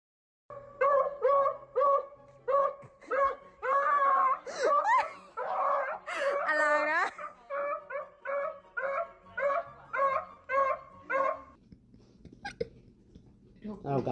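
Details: Pet dog from a funny compilation, voicing a run of about a dozen harmonic, whiny yelps spaced under a second apart, with longer wavering howl-like cries midway, fading to faint background sound at the end.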